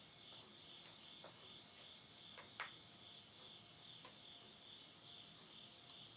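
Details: A continuous, high, buzzing insect chorus fills a midnight countryside scene in Tottori, Japan, at summer's end in September 2020, with soft ticks and one sharper pop from a wood fire burning in a stove.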